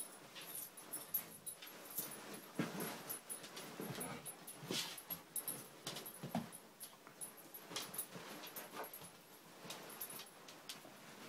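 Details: Two Siberian Husky puppies, Angel at five months and Riley at three months, play fighting; broadband scuffling bursts with short growly and whiny vocal sounds scattered throughout, irregular and noisy.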